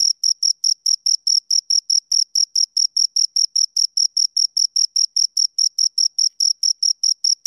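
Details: Two crickets give rapid, piercing chirps, about four pulses each second, evenly repeated throughout with nothing else audible.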